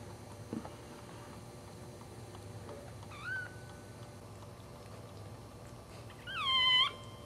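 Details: A newborn Cairn Terrier puppy, fourth in the litter, gives one short rising squeal midway. A louder, longer high wavering cry comes near the end, over a low hum with scattered soft knocks.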